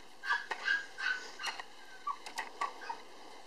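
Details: Male Cavapoo puppy born on 24 August, the darker-coloured one of his litter, still timid; short high thin whimpers and squeaks in a quick series, with faint clicks and knocks around.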